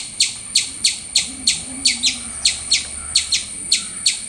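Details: Squirrel giving a run of sharp, high chirps spaced roughly every third of a second, each a brief downward flick, with a faint low hum in the background.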